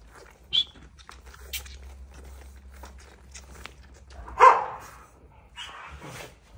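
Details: Australian Cattle Dog puppies about seven weeks old with their mother Brandy, at home on a farm; a short high yelp, then a louder bark-like yelp and a brief whiny call, over a steady low hum.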